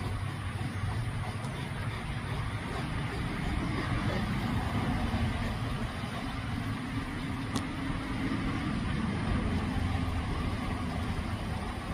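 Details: Continuous low rumble of road traffic and engines with a faint click midway; no animal sounds are heard.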